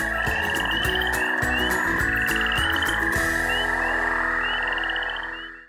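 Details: Frogs croaking after dark, heard at the close of a segment on the FrogWatch USA citizen science project; rapid trains of chirping trills repeat over a steady high tone and low sustained background sounds that fade out at the end.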